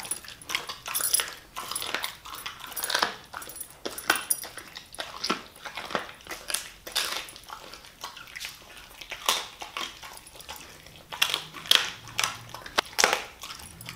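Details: Siberian Husky eating raw meat indoors, given chicken and raw bones as a reward: sharp, irregular crunches and bone-grinding bites, loud snaps every second or so with softer chewing between, in a quiet small room.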